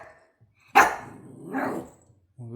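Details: Male Shiba Inu at home barking at 6 a.m., making the expressive talking sounds of his breed: one sharp, loud bark, then a longer drawn-out vocal, followed by a person starting to speak.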